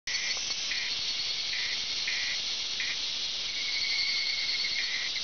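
Evening cicadas sing in a dense, shrill chorus with brief repeated bursts standing out.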